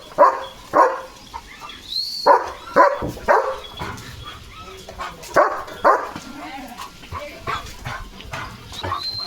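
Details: German Shepherd guarding the gate at home, barking fiercely at a herd of sheep passing outside; sharp barks in uneven bursts roughly every second or two, with a man speaking Marathi between them.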